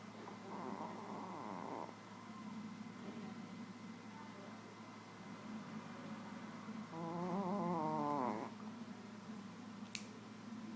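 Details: Nouchka, a small Shih Tzu, asleep and snoring: two rasping, harmonic snore bouts, the first around the second second and the second longer and louder near the eighth, with soft breathing between and a brief click near the end.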